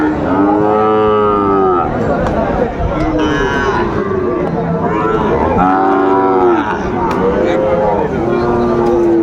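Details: Bellowing Sahiwal bull calves at a Kushtia market in Bangladesh, 2 August 2024; long, level moos of about a second each, repeating every few seconds above the murmur of buyers and sellers.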